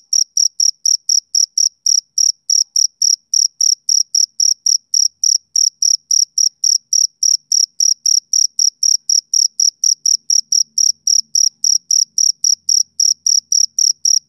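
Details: Steady chirping of a male cricket on a summer evening, high bright pulses repeated roughly four times a second for the whole stretch, with a faint low murmur briefly appearing near the end.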